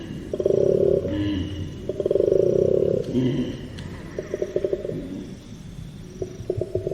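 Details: Koala, an arboreal marsupial of Australia, giving a deep snoring bellow: long rasping pulsed bursts with inhaling gaps, then a quieter run of short grunting pulses; faint musical tones linger beneath.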